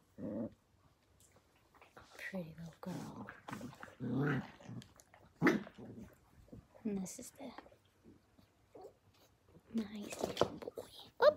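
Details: Playful pen of blue heeler Australian Cattle Dog puppies born May 5, 2020; repeated low rumbling growls in short bursts with whimpers, scuffling and a woman talking to the pups.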